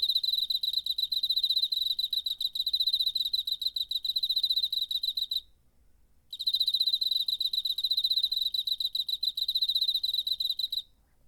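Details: September 2019 cricket, DR-05 recording: two long runs of high, rapidly pulsed chirps, each about five seconds, separated by a one-second silence; otherwise still surroundings.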